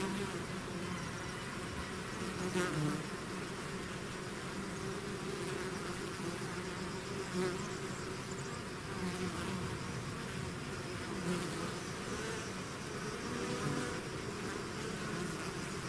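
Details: A swarm of bees pouring out of the hive produces a constant layered drone, with several close insects buzzing past at intervals, their higher whines briefly standing out over the steady collective hum.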